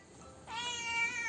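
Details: Black pet cat making funny noises after eating Dairy Milk chocolate: one drawn-out, bright, harmonic meow begins about halfway through and holds a steady pitch to the end, fairly faint indoors.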